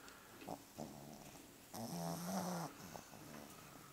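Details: A black Pug–Boston Terrier mix snores loudly with low, rumbling, nasal breaths and one long drawn-out snore.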